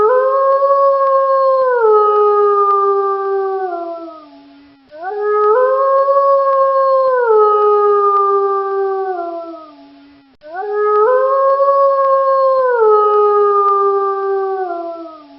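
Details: Wolf howling: three long, clear, tonal howls of about five seconds each, holding steady and then stepping downward in pitch before fading, with brief gaps between them.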